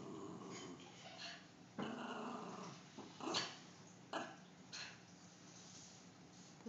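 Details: A pet dog named Teddy, scared of a clown, growls in a low rumble indoors between sharp clicks and knocks, the growl swelling and fading over several seconds.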